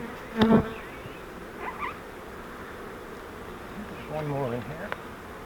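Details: Captured honey bee swarm from a fiber flowerpot bait hive during transfer into a Langstroth box. Continuous droning buzz with wavering tones, a sharp knock early on and brief clatter from handling the trap.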